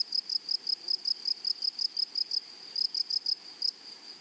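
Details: Grasshopper calling in a flowery meadow: rapid, evenly spaced high-pitched chirps that break off briefly after two and a half seconds, then resume, over quiet background hiss.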